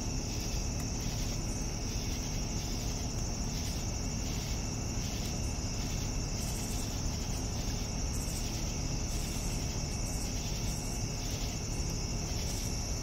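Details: Crickets chirping in the evening: a steady high trill runs throughout, with a softer lower layer of pulsed chirps repeating roughly every half second, over a constant low rumble.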